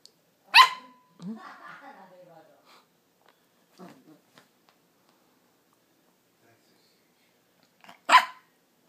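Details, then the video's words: A 4-month-old Yorkshire terrier puppy named Max barks at the camera. Two sharp, high yaps land about seven seconds apart, with soft grumbling vocal sounds and quiet talk in between. "Max barking at the camera"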